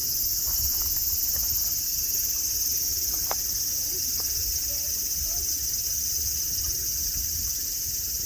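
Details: Continuous shrill cicada drone fills the air at Nara Park, Japan, a flat unbroken high buzz, with a few faint clicks and low background rumble from the grassy parkland with deer.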